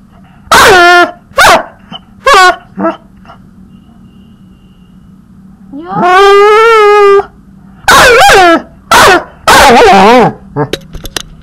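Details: Teased puppy producing loud high yips and barks, then a long sustained whining howl of over a second, followed by more strained, wavering barks; steady low hum underneath.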